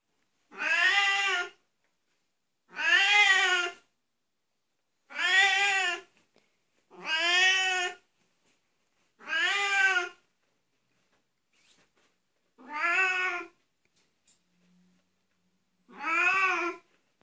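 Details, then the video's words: Oriental Siamese cat giving loud, drawn-out meows, seven harmonic-rich calls each about a second long, spaced roughly two seconds apart, in a quiet indoor room. "Oriental siamese cat voice"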